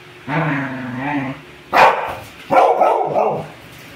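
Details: Two pet dogs, a one-year-old beagle-labrador mix and a four-year-old American bully, during playful zoomies: a drawn-out whiny grumble, then two sharp loud barks close together.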